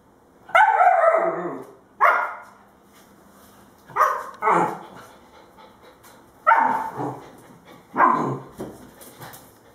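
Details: Two 2-month-old puppies playing, Hakira a female Husky and Shakespeare a male German Shepherd: loud, sharp barks and yips in short bursts, five or six calls spaced one to two seconds apart over a quiet background.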